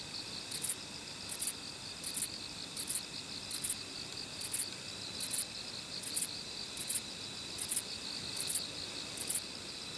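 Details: Short-winged Kobane-himegisu katydid singing near a Niigata park, Japan: crisp doubled high buzzes, evenly spaced about every three quarters of a second, with a soft steady hum of other insects underneath.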